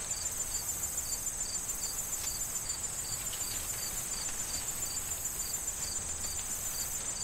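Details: Autumn corn field with crickets and wind through the stalks; a cricket gives regular high pulsed chirps, roughly three a second, above a dense steady insect hum and faint rustle.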